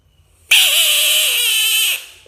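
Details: Frog screaming: a single harsh, loud, noisy scream held for about one and a half seconds, with a steady tonal core that dips slightly at the end, then cuts off abruptly.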